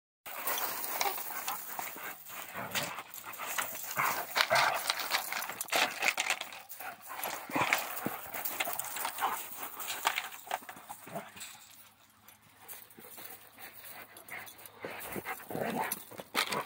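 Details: Central Asian Shepherd Dogs playing, giving rough, breathy huffs and panting bursts amid scuffling noises that rise and fall in irregular surges, dipping quieter around the twelfth second before picking up again.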